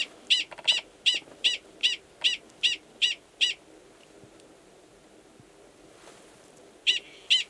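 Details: Wild male Gunnison's prairie dog in Valles Caldera National Preserve, New Mexico, March 2017, giving a mating call near a burrow holding an estrous female; run of nine loud, sharp, high barks evenly spaced, a pause, then two more.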